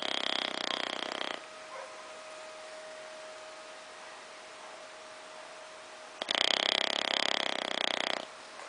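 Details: Bulldog named Ozzy asleep on a small sofa, giving two long loud rattling snores at the start and end, with quieter breathing and a steady hum between them.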